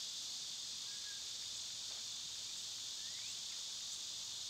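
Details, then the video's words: Cicadas in summer, loud this time of year, hold a constant shrill buzzing wash from start to end; a couple of faint bird whistles, one sliding upward, sit softly beneath it. "Cicada sounds"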